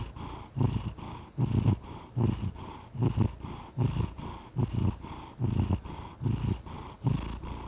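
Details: Cat producing a low, even purr, rumbling surges repeating regularly with each breath, slightly rough in texture, uninterrupted and without other noises.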